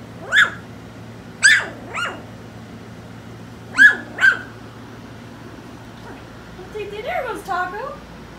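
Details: Four-week-old puppies from a litter, awake and seeking attention indoors, give short high yelps, two close together then a pair about two seconds later, with soft human talk near the end.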